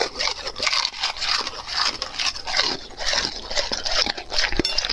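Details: A dog working through raw food with rapid, moist smacking chews and lip-licking repeated several times a second, plus a few crisp crunches.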